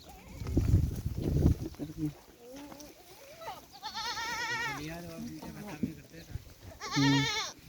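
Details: At a Rajasthan goat farm, muffled human voices and low thumps open, then a goat lets out a long, trembling bleat, a lower short bleat follows, and a final brief, bright bleat closes.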